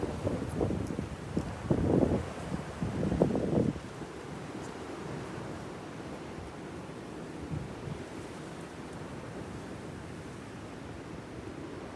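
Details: Strong wind roars and buffets the microphone, loudest in gusts during the first four seconds, with no animal sounds.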